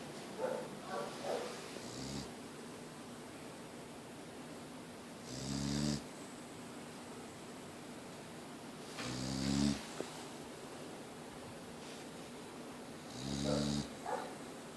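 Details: Boxer dog named Mia snoring in her sleep, each breath a rumbling, buzzy snore with a hissy edge, coming roughly every four seconds with quiet room tone in between.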